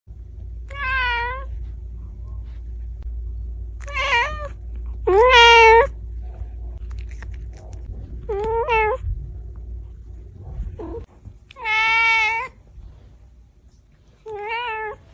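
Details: Domestic cat meowing, described as angry: six loud harmonic meows spaced a few seconds apart, each about half a second long with a slightly wavering pitch, over a low steady room hum.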